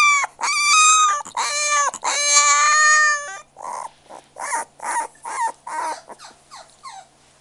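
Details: Young puppy cries in long, high, tonal squeals at first, then breaks into a run of short whimpers and yelps at a steady pace, ending in fainter squeaks.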